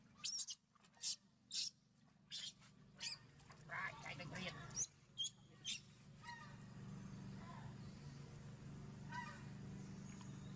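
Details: Monkey named Sovana crying and shaking her body because she does not want to be given a bath. She gives short, shrill, harmonic cries about every half second, then quicker squealing bursts over a steady low hum.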